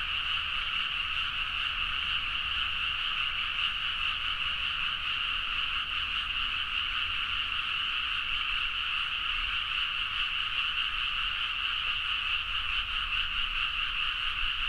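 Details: Deep-night frog chorus from rice fields in Nagaoka, Niigata, Japan, Zoom H4n: a thick, steady curtain of rapid croaking trills dominated by high tones, constant intensity across the whole stretch, very little low-frequency noise.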